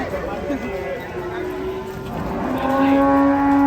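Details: Agitated cattle being unloaded from a truck, a loud sustained moo that starts lower, wavers, then rises and holds a strong steady tone toward the end, with people shouting and chatter around.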